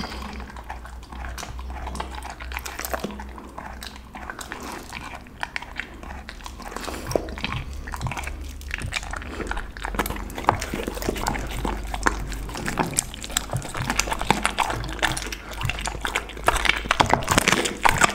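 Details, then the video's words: Pit bull dog eating its lunch of raw chicken, duck and cauliflower indoors; steady wet crunching and biting clicks, densest in the second half, over a low hum, with a brief human voice. "ASMR dog 狗狗的午餐，生的雞鴨子菜花！最強咀嚼聲"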